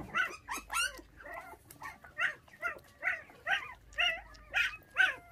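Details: Young puppies, one of five that lost their mother at six days old and are now bottle-fed, crying in a rapid string of high, wavering whines and yelps, about two per second, rising and falling in pitch, with no other clear sounds.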